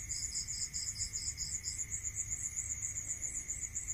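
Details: Crickets at night in the rural countryside, a high continuous pulsed trill with a second, lower chirp series running for the first half before dropping out, over a quiet hum and low background noise.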